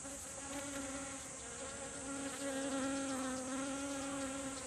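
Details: Honeybees gathered in a garden, seeking nectar from flowering kumquat. A continuous low, even hum holds throughout, slightly louder toward the end, over a constant high-pitched background hiss.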